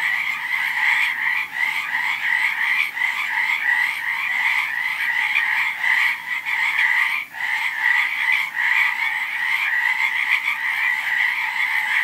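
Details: Frogs calling together in a dense, unbroken chorus of rapid, pulsing croaks, a steady mid-high trill with overtones, briefly dipping near the seventh second before resuming at full strength; no other sounds stand out.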